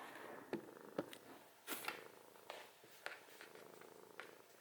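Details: Snoring cat indoors: a low, rough, buzzing hum with a steady breathy rasp, broken by several sharp clicks and small knocks in the room.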